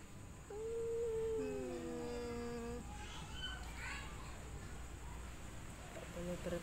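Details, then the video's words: Mating-season cat calling within a group of one female and three males: a single long, steady, mournful wail lasting about two seconds, then quieter soft murmurs and faint human speech. "Kucing mencari pasangan"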